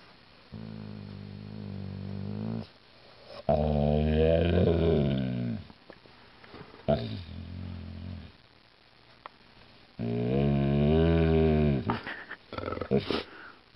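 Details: Alaskan Malamute making long, low, rumbling groan-like vocalizations in three sustained bursts several seconds each, the pitch bending up and down, with short pauses and faint indoor noise between them.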